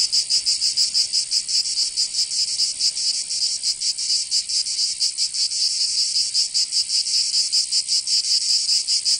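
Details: High, hissing buzz of cicadas in a Provençal summer, southern France, a constant rasping wall of sound with loose, irregular throbbing and no other animals or voices.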